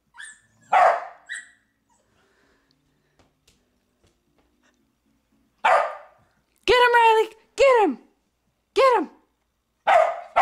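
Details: Pet dog barking on a person's urging: a single sharp bark, a quiet gap of several seconds, then a run of short, high, downward-sliding yelping barks roughly once a second.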